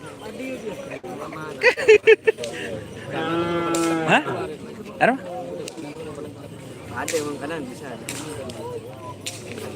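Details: Trained racing cattle at a traditional Madurese Karapan Sapi bull race in Madura, East Java, Indonesia. One rich, slightly falling moo of about a second sits midway, framed by clattering, sharp knocks and background crowd chatter.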